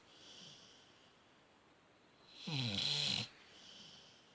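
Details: Sleeping dog draws in one strong, buzzing, rattly snore near the middle, bracketed by quieter hissing breaths.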